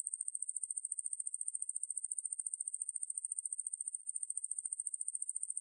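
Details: Ruspolia lineosa conehead katydid recorded by the National Institute of Biological Resources, 2020: a high, continuous, buzzing trill of fast even pulses, steady throughout with one brief dip near the end, on a silent background.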